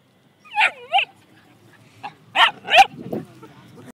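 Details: Border Collie playing in a park: two rising-falling whiny yips, then two short sharp barks after a pause. An Italian-speaking person talks just before.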